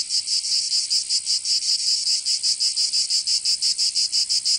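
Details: In Provence, southern France, cicadas sing through the summer heat: a piercing high buzz throbbing in rapid pulses nearly three per second, steady and unbroken, nothing else audible.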